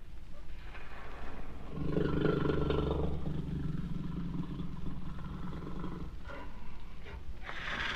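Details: Jaguar roaring with a heavy, throaty rumble that peaks early and then carries on as a steady low growl, ending with a few short harsher bursts.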